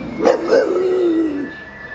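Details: Homer, a bulldog, trains his howl when ambulances or fire engines pass. Two short yelping onsets lead into a sliding howl that falls and fades, with a steady high tone running behind.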